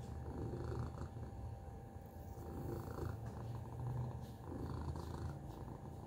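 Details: Tacy, a pet cat, purring steadily: a low rumbling throb that swells and eases in rhythmic pulses throughout, with a faint constant tone and soft rustling above it.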